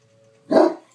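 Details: Kobee, a Great Dane, barks at the film "Up": a single deep, gruff bark after a quiet stretch with a steady low tone, followed by a woman's soft voice.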